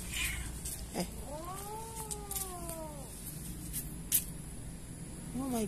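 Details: Kitten found behind a door, crying in fear: one long drawn-out meow of about two seconds that rises, holds and sags at the end, then a short new meow starting, over low indoor hum and scattered clicks.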